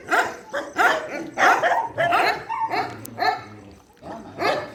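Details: Dogs at a shelter during night feeding, barking in loud, harmonic bursts about every half second, with a brief gap near the end before a final bark.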